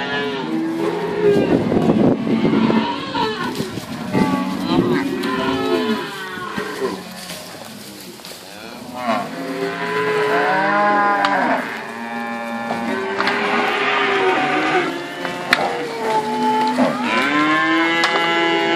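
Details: Herd of cows from Inverland and La Florida calling together, a dense chorus of overlapping moos, some deep and steady, others bending upward or dropping at the end, voices trading back and forth throughout with a short lull midway.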